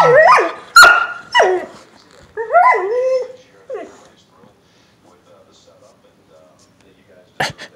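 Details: Elderly female Doberman Pinscher teasing a seven-month-old puppy over food. Several short, sliding, yelping whines and a grumbling howl come in the first three seconds, then near silence, with a sharp clatter near the end.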